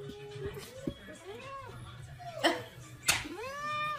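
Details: Cats meowing indoors in a small room, with two soft arched meows and a longer final pair of curving cries, alongside quiet speech and a couple of sharp knocks in the background.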